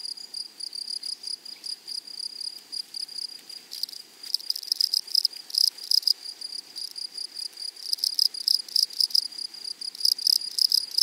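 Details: High, dry insect stridulation from grasshoppers in a flowering meadow, starting as a softer ticking buzz, then swelling into louder, denser rasping bursts through the middle and end.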